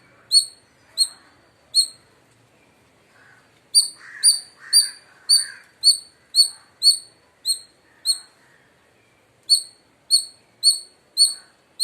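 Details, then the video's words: Loud chirping from an Indian palm squirrel in India. Piercing high, brief descending chips repeat nearly twice a second, broken by short gaps, with a soft muffled noise in the middle. No other animals are heard. "Loud Squirrel Chirping Sounds | Indian Squirrel Sound"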